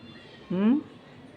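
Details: Another cat, unseen and somewhere beyond the building, gives a single rising meow about a third of a second long, heard through a window with faint background noise, prompting the house cats to rush to look: cat.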